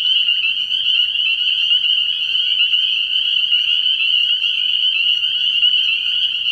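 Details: Night chorus of many spring peepers at a frog pond in early spring: a continuous, piercing high-pitched trilling wall of overlapping peeps with no pauses.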